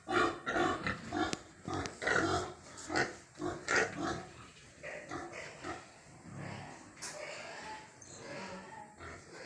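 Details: Pigs on a farm, heard while eating: a series of harsh, broad grunts and squeals repeated irregularly about every two seconds, loudest in the first half, then quieter grunting with farm background noise.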